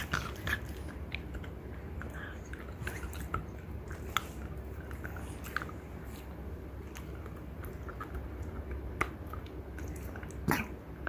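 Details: Two female French Bulldogs, Ume (mother, three years one month) and Roku (daughter, one year six months), chewing deer antler: steady rapid gnawing clicks and scrapes throughout, over a constant low hum.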